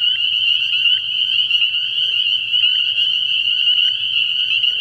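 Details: Dense night chorus of spring peepers at a frog pond early in the year, countless high piping peeps merging into one continuous shrill ring with faint pulsing flickers, nothing else prominent.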